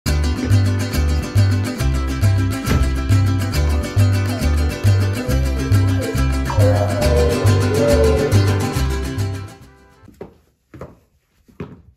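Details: Upbeat Latin salsa music with plucked strings and a steady bass beat that fades out, followed by a few scattered knocks near the end, with no animal voice.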